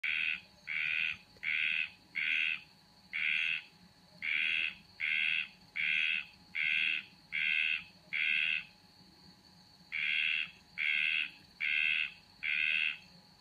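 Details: A frog that had been sitting on a bedroom window ledge gives harsh, rasping notes, each about half a second long, repeated more than once a second.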